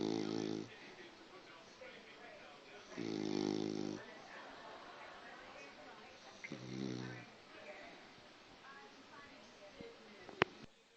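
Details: Pet cockapoo snoring indoors: three loud, rough snore bursts at about 0, 3 and 6.5 seconds, each lasting under a second, with quiet breathing between and a sharp click near the end.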